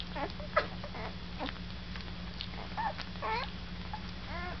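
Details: Deca's pups, almost one week old, whimpering and squealing: short, high, arched whines and squeaks overlapping in quick bursts over a few seconds, over a steady low electrical hum.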